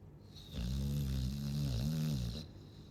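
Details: A Chow Chow snoring: one long, low, rattling inhale lasting about two seconds, with a steady buzzing drone that dips briefly near the end before fading into quiet.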